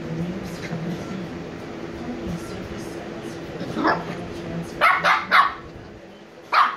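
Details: Two sleepy 86-day-old Shiba Inu puppies, Niro and Kyno, giving a run of short, bright yips and barks in the last few seconds, after a quieter stretch of low murmuring background sound.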